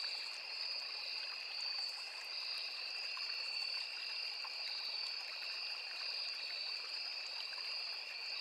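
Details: Continuous ringing of crickets in a riverside forest, two high steady tones layered with slight flickers, set against a soft flowing stream.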